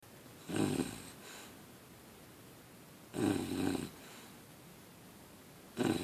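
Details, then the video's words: English Bulldog puppy snoring while asleep indoors: short rough snores about every two and a half seconds, each under a second long, with quiet breathing between. "English Bulldog Puppy Snoring"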